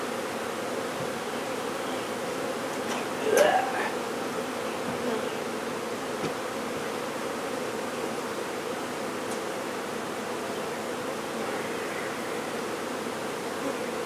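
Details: Buzzing from a honey bee swarm during its removal and relocation in Brownsville, Texas: a continuous low hum of many bees, broken by a short sharp knock and rustle early on, then the drone continues evenly.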